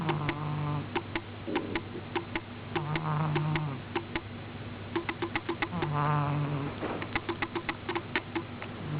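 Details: Pet cat Miina, sleeping soundly, snores steadily: four low droning breaths roughly every three seconds, each with a rough breathy edge, mixed with many fast sharp clicks.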